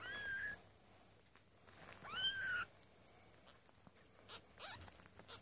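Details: Newborn Maine Coon kittens at a cattery, from a litter of six born on 8 May 2015, give two high, thin mews that rise and then fall, about two seconds apart, with faint clicks and rustling between them.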